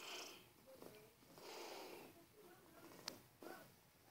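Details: George, a 16-year-old grey tabby cat who loves being loved, purring loudly while being petted indoors; soft rasping swells rise and fall in breathing cycles, with faint clicks and a sharp tap near the end.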